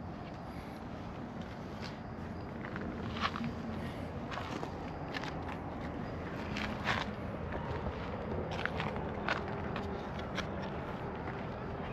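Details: Soft footsteps and scattered clicks and rustles over a low background rumble, with no animal voice.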